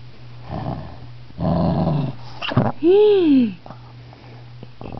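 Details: Napping Shih Tzu, touched and irritated, gives two rough growling bursts followed by a clear, arching whine-like howl that rises then falls, all in a small indoor room.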